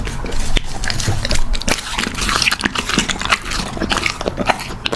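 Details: Puppy eating, recorded close up: dense, irregular crunching and sharp clicking bites follow one another throughout, over a steady low rumble.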